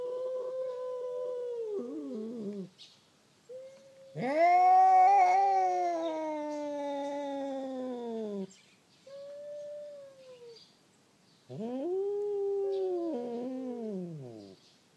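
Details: Two domestic cats, a tortoiseshell and a black-and-white cat with a tail and a usual quarrel pair, yowl while fighting, with long wavering wails that rise, hold, and sag; heard after waking a sleeper.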